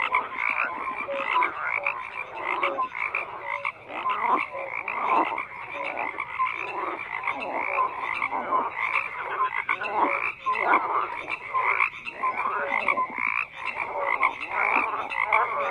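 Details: Dense frog chorus with numerous animals croaking together, rhythmic pulsed calls swelling and dipping in loudness, short bright notes scattered through a steady bed of overlapping croaks.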